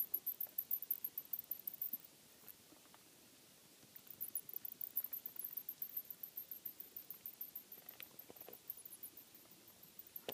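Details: Attic bats inside a home, recorded while checking for noise. Long runs of rapid, shrill chirping squeaks come in pulsing bursts, break off briefly, then return steadily. A few faint clicks sound underneath in a quiet indoor space.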